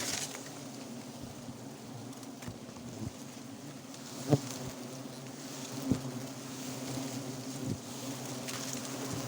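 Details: Wild forest honey bees at a hive found and harvested on the spot: a steady low droning hum with several harmonics throughout, broken by occasional knocks and taps from the harvesting.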